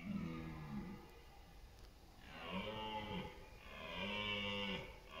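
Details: Red deer stags roar in the autumn rut, giving long, deep, moaning bellows as they compete for dominance and mates, in East Serbia's meadows and forests on September 28.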